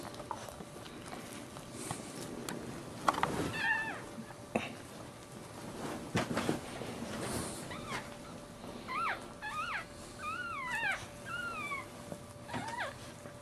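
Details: Newborn Maltese puppy being born feet first, giving a run of thin, high squeaky cries that rise then fall, clustered in the second half, over soft handling noise and faint background music.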